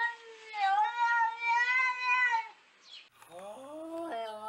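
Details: Domestic cat from an internet collection giving a long, wavering, nasal meow that swells and fades over two seconds, followed after a brief pause by a second rising, strained cry.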